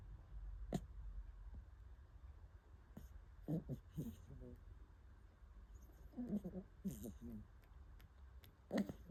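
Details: Shiba Inu and Corgi mix puppy snoring, with soft, low, rough snorts in short bursts that return about every three seconds against a quiet indoor background.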